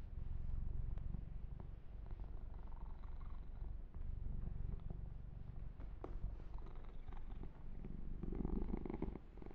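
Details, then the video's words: Continuous low purring from the kitten Yumak under massage, rhythmic and rumbling, pulsing in slow surges, accompanied by light scratchy grooming noises and a brief brighter rub near the end. "Kitten Massage - Perfect Sleep Helper Ear to Ear Purring"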